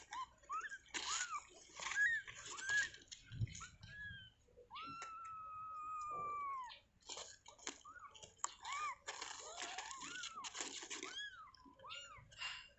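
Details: Newborn kittens, moments after birth in their cage, give thin high mewing cries: short arched squeaks, then one long drawn-out wavering mew, among rustling and handling noises.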